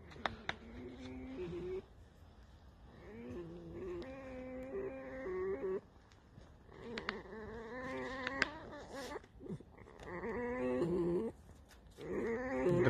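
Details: Alice, a tame fox, in the evening near a small shed; drawn-out, creaky nasal whines in several bursts of one to two seconds, with a man speaking Russian in between.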